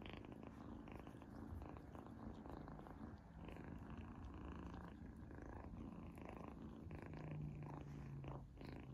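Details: Kitten Izzy, female, tasting a treat for the first time indoors: a strong, even purr throbs low and unbroken for the whole stretch, overlaid by light smacking and chewing sounds.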